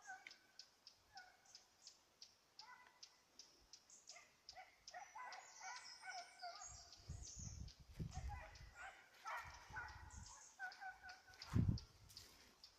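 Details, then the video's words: Petit Basset Griffon Vendéen on a rabbit chase, 05/10/2014: steady run of short, clipped yelps that grow into a busier chorus of overlapping high bays, with rustling brush and low thumping footsteps midway through. "petit basset griffon vendeen tras conejo"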